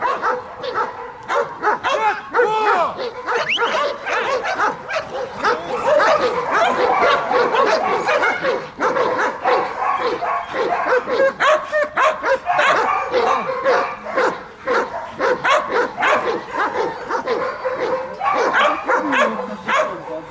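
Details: German Shepherd in bodyguard protection training in Odesa, Ukraine, barking hard and continuously, rapid overlapping deep barks almost without pause for twenty seconds, loud and rough throughout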